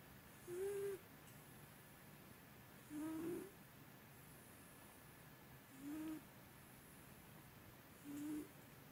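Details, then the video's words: Sleeping domestic cat snoring heavily; it has snored for a long time and is louder than usual today, sounding like a person. Four short whistling, slightly rising nasal tones, each about half a second, spaced about two and a half seconds apart, over quiet background hiss. "코고는 고양이 뷰리 Snoring cats いびき猫"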